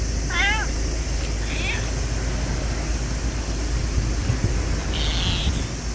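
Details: Small stray black cat befriending people at a Lawson convenience store in Japan, August 2024, gives a short wavering meow with stacked harmonics, then fainter calls, over loud steady traffic or wind rumble outdoors.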